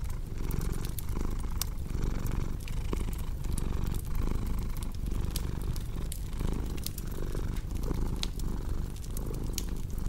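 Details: Continuous low, throaty cat purr paired with a crackling fireplace for deep sleep, rising and falling in roughly one-second breath cycles over ten seconds, with frequent bright snaps of burning wood.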